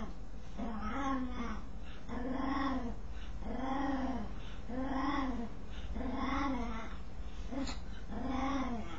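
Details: Strange noise from a dog while it scratches: about seven evenly paced, arching, harmonic moans, each lasting around 0.7 seconds with short pauses between, over a continuous low hum.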